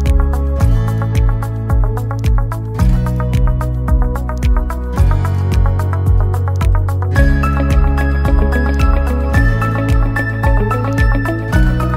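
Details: Steady instrumental background music with a looping bass beat and bright melodic notes; no animal sounds are heard.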